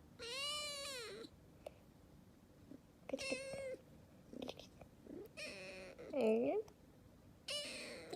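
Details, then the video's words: Aleef, a rescued calico kitten of barely two months, 'talks' in a series of four arched, harmonic meows spread over eight seconds, some drawn out and wavering, with a woman's Arabic speech in the gaps. "cute calico kitten talking and startled by its own sneeze"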